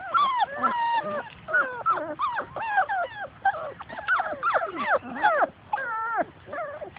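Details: Playing outdoors and chasing their mother, Labrador Retriever puppies of Grace and Sam's litter give a dense stream of overlapping high whines and yelps, rising and falling in pitch, several voices at once, with a person's voice faintly mixed in.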